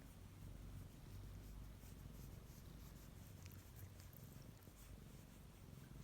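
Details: Pet cat, one of three sharing a home with a female Chihuahua, being cuddly while the dog is absent: continuous low, throbbing purr filling the whole stretch with an even rhythm, a few soft ticks above it.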